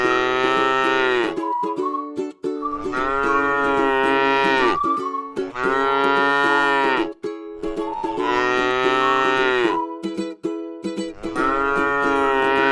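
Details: Cattle resting in a lovely rice field utter five full, sustained moos in close succession, each slightly rising then level, with light plucked-string notes audible in the short gaps.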